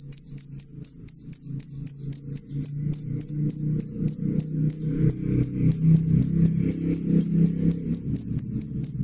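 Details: Loud, clear cricket chirping: rapid high ringing pulses, roughly four a second, continuing throughout while a low humming drone swells underneath in the second half.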